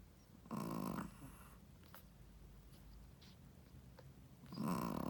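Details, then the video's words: Sleeping Shih Tzu mother gives a gravelly snore, then a pause of faint breathing and small clicks before a second rasping snore starts at the end. "How loud does a shih tzu mommy snoring?/ Shih tzu snoring"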